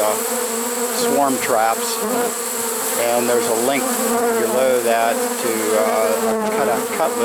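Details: Honey bee swarm caught in a swarm trap late in the season, September 1, 2019: a dense, steady droning hum with wavering, sliding pitch tones as individual bees fly close by.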